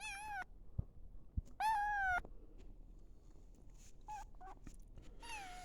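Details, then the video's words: A 5-week-old kitten on a farm, a chatty one, smells her mother's chicken and gives three high, thin, slightly falling meows, with a few brief softer squeaks between them in a quiet room. "Kittens Meowing"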